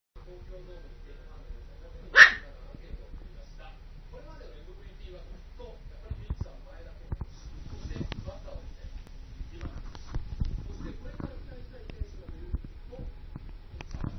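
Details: Dog outdoors barking at heavy snow-removal machinery: a single sharp, loud bark early on, followed by steady low engine rumble and scattered mechanical clanks.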